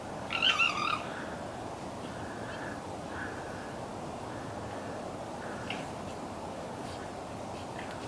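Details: Morning call of a local red fox in Conifer, Colorado, where a large male with a whitish head was seen; a single harsh, raspy, high bark opens, followed by steady broadband hiss and faint distant sounds.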